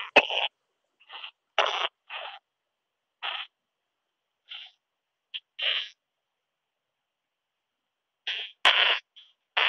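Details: Isophya brevicauda singing in Muhrtal, Austria on 24 July 2022, rendered audible by a Pettersson D 100 ultrasound detector: irregular short scratchy pulses separated by silent gaps, with a louder cluster of bursts near the end.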